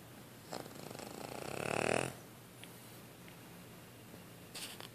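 A Cavalier King Charles Spaniel snores with a rough, rising breath that swells and fades.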